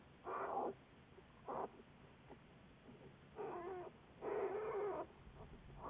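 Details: Juliet, a research black bear of the Wildlife Research Institute, on February 10, 2014, gives short harmonic squalls. A brief one and a clipped one come first, then two longer, wavering cries, with soft background hiss.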